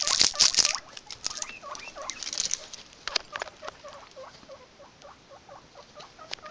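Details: Several guinea pigs, with bursts of rustling at the start, then a steady run of short curved squeaks repeated quickly at an even pitch until the end.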